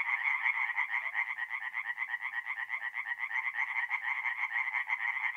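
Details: Singing tree frogs at a forest pond at night in mid-April, north-east Italy; a massed chorus of rapid rasping croaks, about two pulses a second in the overall swell, continuous and loud.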